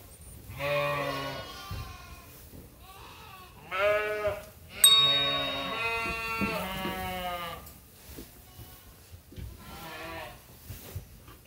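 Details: Sheep at Ewetopia Farms awaiting feed during daily chores in lambing season; a run of wavering, nasal bleats from several animals, with brief gaps of quieter farmyard background between calls.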